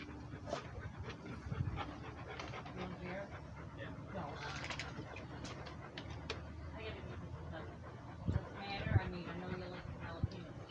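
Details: Rhodesian Ridgeback walking while breathing hard: rhythmic huffing pants mixed with human speech and a couple of louder knocks near the end.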